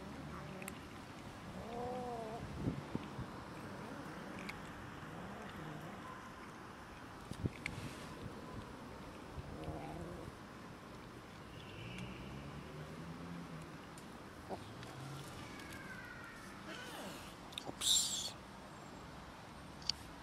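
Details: Cats and a kitten squabbling over food, giving several low, moaning harmonic wails spread across twenty seconds, some in quick bending pairs, beneath steady background noise with scattered knocks and a brief hiss-like burst near the end.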